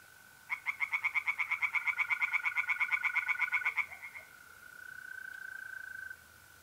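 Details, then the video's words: [0, 0] "relaxing singing tree frogs in pond and trilling mole crickets by night"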